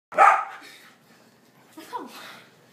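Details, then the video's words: Dog barking while playing: one loud sharp bark at the start, then a quieter rough yelp near the end, with a person's voice faintly heard. "Penny barking while playing"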